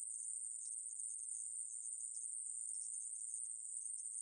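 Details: National Institute of Biological Resources recording from 2020 of the aemaeburi grasshopper: a sustained, very high, hissing buzz with slight flickers in tone, and no other sounds.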